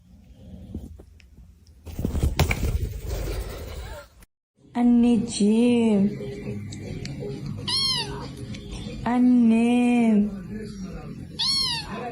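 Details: Domestic cat giving a series of drawn-out meows, each arched and harmonic-rich, repeated roughly every one to two seconds after a burst of rustling noise; faint human voices in the background.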